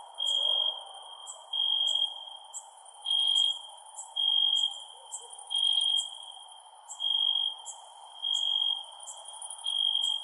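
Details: Crickets at night: a steady high ringing trill pulsing in bursts about every second, overlaid by sharp short ticks higher still, with a soft low hiss throughout.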